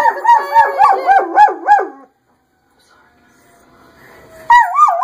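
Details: German Shepherd, a male, answering fire engine sirens with rapid undulating howls that rise and fall for two seconds. A quiet gap follows, with a faint rising tone, then another loud wavering howl bursts in at the end.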